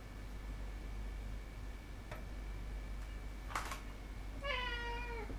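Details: Indoor house cat: after quiet clicks and a sharp knock, a single falling meow closes the stretch, with a constant low hum throughout.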